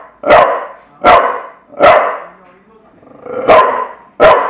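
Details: Bulldog named Tula letting out five loud, gruff barks spaced roughly a second apart, with a soft whine between them.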